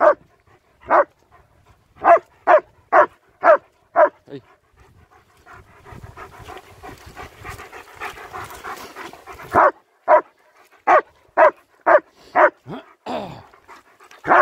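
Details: German Shepherds Nico and Zeeva on a winter wander in Hawick, Scotland, recorded on an S23 Ultra phone: loud, sharp barks in quick bursts about twice a second, then a rustling, scuffling gap before the barking resumes.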